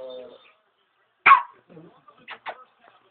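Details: A Pomeranian barking at a wall gives a sharp, high bark, then two quicker yaps, with a person's voice nearby.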